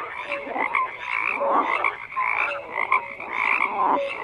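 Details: A frog chorus of steady overlapping croaks, rasping pulses mixed with brief whistle-like tones, swelling and easing in loudness every second or so.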